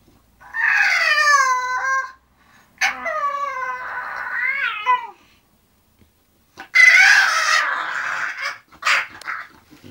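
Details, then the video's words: Zenuś, an English bulldog going to sleep, lets out long nasal whines and groaning moans in a small room. Two sustained cries wobble and bend downward, then a rougher, breathier grumble follows after a short silence. "English bulldog Zenuś go sleep"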